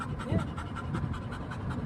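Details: Golden retriever and Labrador retrievers settled together on a day out with several dogs; fast, even panting breaths, roughly six per second, with a low background hum.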